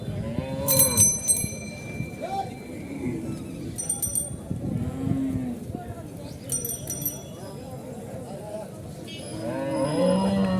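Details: Cattle brought to Horgoj cattle market in 2025, restless and jumpy from fear of the new surroundings and crowd; several low moaning moos, with a man talking, bells ringing and market chatter around.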